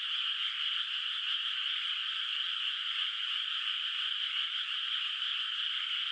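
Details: Night chorus of frogs echoing from a distance over a moonlit rice field before planting; a continuous high, rasping drone of many overlapping calls holds steady with nothing else audible.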